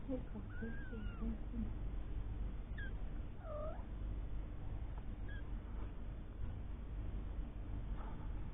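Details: Three-week-old kittens with their mother Lucy, a cat once found living under a caravan and taken in while pregnant. Thin arched mewing cries, one long wavering, then a deeper dipping meow, over steady low rumbling background noise.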